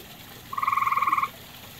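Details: Single grey tree frog trill from a pond also used by common toads: a quick run of about fifteen evenly spaced, buzzy pulses, under a second long, then quiet.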